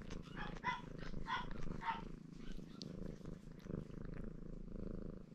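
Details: Ginger Maine Coon tomcat named Baron purring as he grooms himself, in a cheerful mood; continuous low vibrating purr, with a few brief higher chirp-like sounds near the start and soft background noise.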